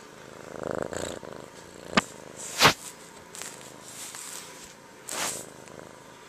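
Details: Mac, a kitten, purring indoors: a soft pulsed rumble is strongest in the first second, then sharp rustles and rubbing bursts, as if from handling or fur against a microphone, cut through a steady low purr.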